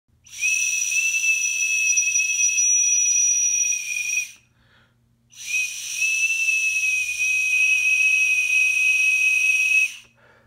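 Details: A cicada in Peru gives long, steady, high whistles, like a steam whistle, with a hissing edge.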